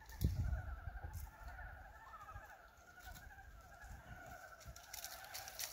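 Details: Frogs calling on a farm on a warm 19 February 2023, the first frog calls of the year: a dense chorus of rapid pulsed croaks in two steady pitch bands, with low rumbling handling noise at the start.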